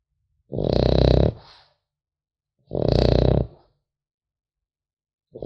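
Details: Sleeping French Bulldog puppy snoring indoors: two long, rumbling, raspy snores with a hissing top, each lasting about a second and spaced roughly two seconds apart, silence between breaths.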